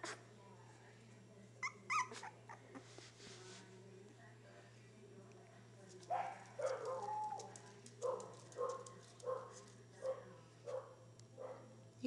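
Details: Half beagle, half Welsh corgi puppies giving short, high whimpering yips that repeat about every half second in the second half, with people talking nearby and a steady low hum throughout.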